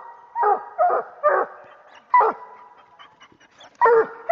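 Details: A year-old coonhound pup barking at a raccoon treed while hunting: loud hoarse barks in a quick run of three, then spaced single barks about every second and a half.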